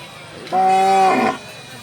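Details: A bull at the weekly Thursday-morning bull market in Haveri gives one loud, steady, droning moo lasting under a second. It turns rougher at the end, with faint murmur around it.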